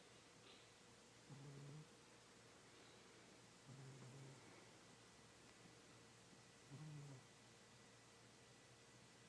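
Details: An old, fat pet cat named Kitty sleeps deeply and snores. Three short, low, grating breaths land at uneven gaps of about two to three seconds against faint room hum.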